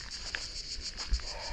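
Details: Deep-forest crickets keep up a continuous high-pitched pulsing buzz, regular beats several per second, while a soft thud and low rumble sound below.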